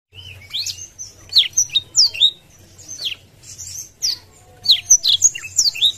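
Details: Blackthroat with open wings singing to goad a rival bird: bursts of sharp, high, down-slurred whistles and twitters separated by short pauses.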